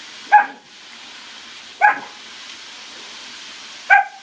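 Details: A German Shepherd puppy near a pool barks three times, single clipped yaps spaced roughly one and a half to two seconds apart over faint background hiss.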